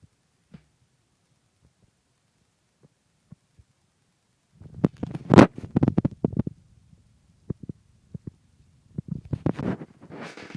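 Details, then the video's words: Pet cat Meowzer caught in the aftershocks of a violent sneezing fit that lasted about a minute: a quiet start, then a tight cluster of sharp, explosive bursts, followed by a few scattered single sneezes and soft rustling. "Sneezing Cat"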